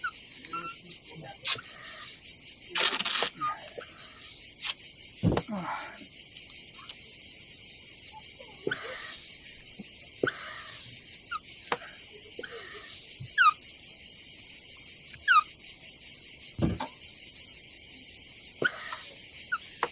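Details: Cicadas on a summer day at a campsite above the Adriatic Sea in Croatia: a constant high, hissing buzz fills the background, while nearby clatters, knocks, thuds and rustling from camp work come and go.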